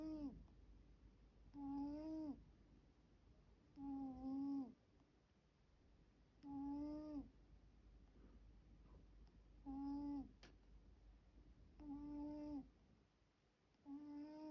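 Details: Middle-aged pet cat, living with three others, snores in its sleep: seven whistled, slightly wavering breaths, about two seconds apart, in a quiet indoor room with a faint hum.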